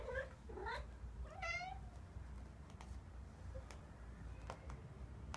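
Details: White cat meowing indoors: two short meows in the first second, then a longer wavering meow, followed by quiet rustling and scattered clicks.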